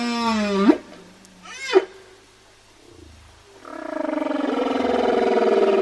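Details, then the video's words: Whale calls: a harmonic rising whoop, a brief swept cry, a pause with faint low rumbles, then a long rough, buzzy, pulsing drone that grows steadily louder to the end. "Whale Sounds"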